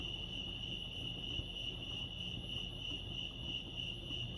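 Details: At Lake Arrowhead, California, crickets keep up a constant shrill ringing note, steady in pitch and loudness, above a muffled low hum.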